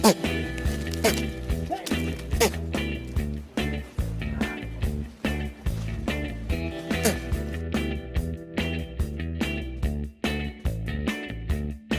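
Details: Upbeat rhythmic music with a steady bass pattern plays throughout, with some speech, and no goat bleats stand out.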